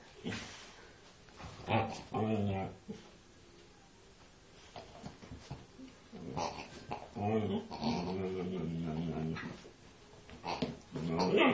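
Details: A female Siberian Husky, unusually vocal while attacking a pig, gives drawn-out, wavering, moaning vocalisations in bursts, with some rougher growly notes.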